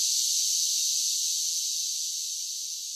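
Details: Cicadas in summer giving a constant high, shrill buzzing drone that fades slightly toward the end, with no other sounds.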